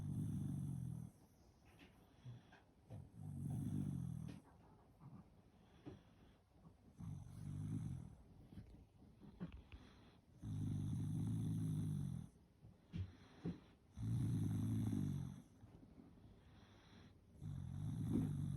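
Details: Sleeping Shiba Inu snoring: quiet, low rumbling snores repeated roughly every three to four seconds, each lasting about a second, with faint snuffles and small breathy clicks between them.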